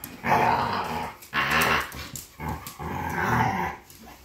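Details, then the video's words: Fighting pit bulls give loud rasping growls and snarls in four long bursts about a second apart, indoors, with brief gaps of scuffling. "Pitbull Fight"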